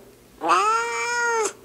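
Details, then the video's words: Big male house cat, angry and refusing to be held, gives a single drawn-out meow lasting about one second: a steady, strongly harmonic tone that rises slightly at the start and cuts off sharply. "Kitty Says No!!!"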